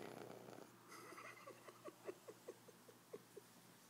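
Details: Cooper, a pug puppy, asleep after a big day, snoring: a quick series of short, soft snorting pulses, roughly two or three per second, over a quiet room hiss.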